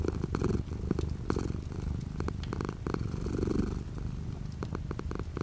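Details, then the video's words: Cat purring with light rain falling outside the window; continuous deep rumbling purr with gentle rising and falling breath phases, overlaid by sharp irregular raindrop clicks. "The sound of a cat purring with light rain outside the window."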